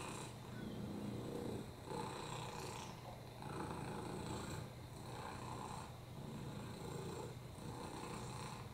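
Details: Lap cat Oliver, FIV-positive with a broken hip and upper respiratory infections, gives a low steady purr, with brief breathy surges roughly every one and a half to two seconds.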